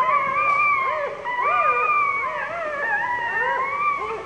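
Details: Two-day-old puppy crying for help while its mother sits on it: continuous, quavering, arched whines that swoop up and down and overlap, loud throughout.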